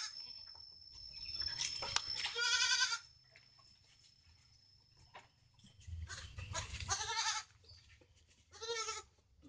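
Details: Domestic goat giving three wavering, nasal bleats at about 2.5, 7 and 9 seconds, each a short quavering burst, separated by quiet stretches with faint clicks, shuffling and low hum.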